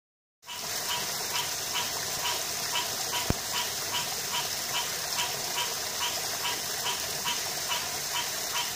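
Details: Green tree frog, Hyla cinerea, calling in a steady series of short nasal notes, about two to three per second, over a constant high hiss of background noise; one sharp click partway through.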